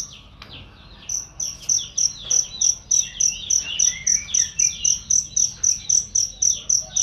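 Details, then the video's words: Cricket used as a loud, clear training call for songbirds: after a quiet first second, rapid bright chirps set in at an even pace, mixed with twittering bird phrases behind them. "masteran jangkrik untuk burung"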